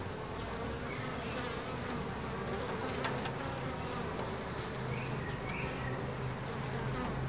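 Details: Bees at Ebersberg make a continuous, thick drone of overlapping wingbeats that holds at an even level throughout, with occasional faint bird chirps high above the hum.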